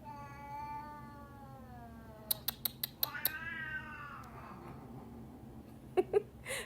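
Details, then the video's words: Domestic cat indoors, refusing to be nice to another cat, gives a long drawn-out wail that falls slowly in pitch over about four seconds. A run of sharp clicks comes midway, and thumps follow at the end. "Cat says no to being nice"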